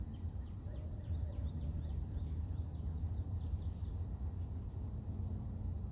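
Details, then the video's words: Morning cicada chorus outdoors, a continuous shrill hum fixed at one high pitch. Birds add scattered short descending chirps, clustered toward the middle. Heavy low-pitched environmental rumble runs beneath. "Relax With Cicadas Nature | Calming Insect Sounds"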